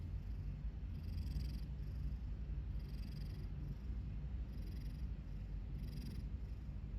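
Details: Domestic cat asleep with its mouth propped open by a tooth caught on its lip, giving a low continuous rumble and breathy snoring puffs roughly every one and a half seconds in a quiet room.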